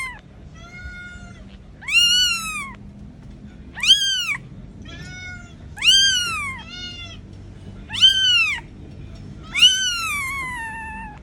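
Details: Small kitten meowing to call its mother, who comes looking for it: loud, high, arched meows with rich harmonics about every two seconds, with softer, shorter mews in between, over a faint low background hum.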